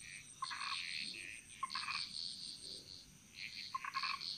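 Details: Chorus of frogs echoing through Bali's jungle in Indonesia: sharp click-led croaks in three short clusters, each followed by a buzzy high rattle, with a steady high whine behind.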